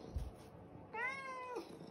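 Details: Very vocal, fluffy, fat white pet cat asking for its breakfast indoors: a single clear meow about 0.7 s long, holding its pitch then dropping at the end, after a soft thump.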